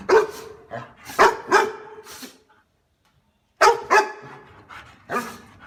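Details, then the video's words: Dog giving sharp, ringing barks in a quick run of four, a second of silence, then three more barks. "Tiếng Chó Sủa"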